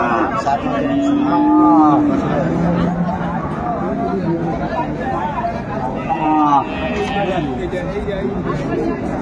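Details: Cows, some with calves, at the Ambari livestock market in Dinajpur, Bangladesh, on Monday, 22 April 2024. Two drawn-out, low moos rise and fall under steady market chatter and men talking.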